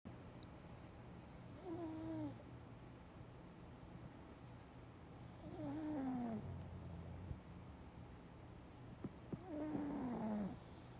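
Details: Pug snoring while napping: a whistled, falling snore, each breath sliding downward, returning about every four seconds in a quiet room with no background music.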